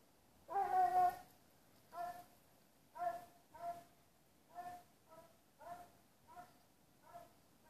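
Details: Plott Hound hunting on the trail of a large wild boar, giving a long drawn-out harmonic bay followed by seven shorter, clipped bays at roughly one per second, gradually growing quieter, over a quiet background.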